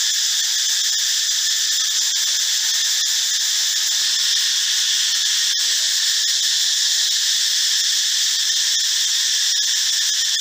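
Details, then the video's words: Cicada, sung by males, loud in a forest in the morning and sometimes at dusk: an unbroken, dense, hissing metallic drone that holds steady throughout, with faint soft clicks scattered through it. "จักจั่น แมลงเสียงดังแห่งป่า"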